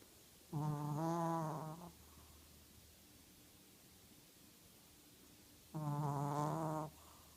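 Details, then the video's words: An 8-pound Shih Tzu asleep and dreaming, snoring: two droning, buzzy snores rich in overtones, each lasting just over a second and about five seconds apart, with quiet breathing between. "How loud can a Shihtzu snore? Really loud!"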